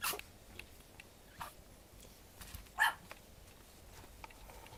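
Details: One-month-old Japanese Chin puppy indoors giving a single short, sharp high yip near the end, with a few faint clicks and soft scuffles before it in a quiet room.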